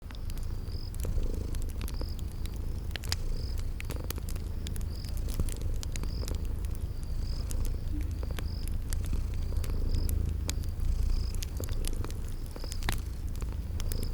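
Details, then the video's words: Sleeping kitties purr in a steady low rumble beside a crackling fireplace in a spring garden setting, with sharp crackle pops and a high cricket chirp repeating roughly every half second throughout. "Relax with Cute Sleeping Purring Kitties"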